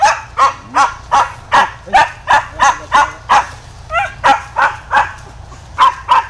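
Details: Pack of hunting dogs chasing wild boar through bushes, barking steadily about three times per second, sharp yelps with a short whine mixed in, little else heard.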